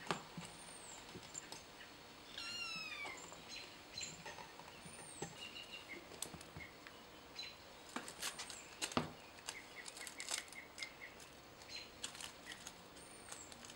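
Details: Kittens playing, with one short, high meow that slides downward in pitch early on, set among scattered clicks, thumps and patter of play and faint high chirps in the background.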